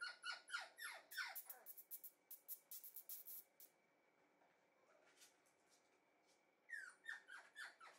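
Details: Red female Shiba Inu puppy, bred for show, indoors in a small room: bursts of high squeaky yelps sweeping downward in quick runs, a quiet gap, then more squeaks near the end; a faint steady tone underneath.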